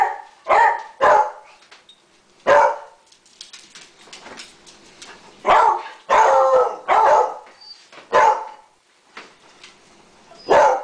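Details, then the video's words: Roscoe, a dog among others, barks loudly and repeatedly, sometimes in quick pairs, about ten sharp barks across eleven seconds with short quiet gaps between bursts. "Roscoe's Beautiful Voice"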